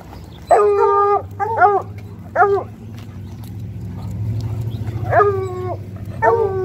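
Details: Bluetick Coonhounds sounding off during a walk in town: a sustained howl followed by short broken yelps and another long falling bay, over a steady low engine-like drone.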